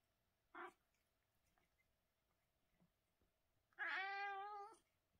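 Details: British Shorthair cat meowing during the day: a brief chirp-like note, then after a pause a single drawn-out harmonic meow lasting about one second, in an otherwise quiet indoor setting.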